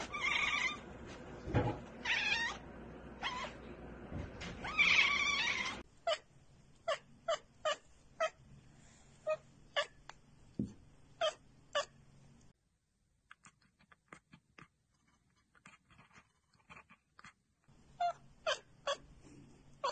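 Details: Pet cat chattering at prey it cannot get to, a bird or insect: dense noisy chirps at first, then sharp clicking ticks repeated about every half second, a silent gap, and more quick clicks at the end.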